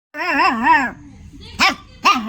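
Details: Angry dog vocalising indoors: a wavering, harmonic whine lasting nearly a second, then two short, sharp barks about half a second apart, with a person's voice faintly in the background.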